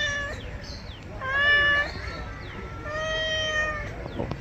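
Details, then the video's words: Domestic cat, angry while being given a bath, meowing in long, drawn-out, strained cries, one around 1.2 to 1.9 seconds and another from about 2.8 to 3.7 seconds, with shorter sliding cries between and faint background noise. "Today our cat looks angry while taking a bath"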